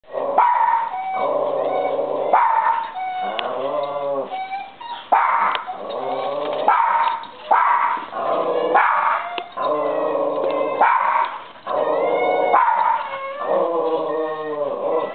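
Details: Two dogs play-wrestling, a black Labrador named Venus and an eight-month-old Kai Ken named Kotetsu: a rough, continuous mix of growls, barks and yelping whines in dense bursts, with short pauses between scuffles.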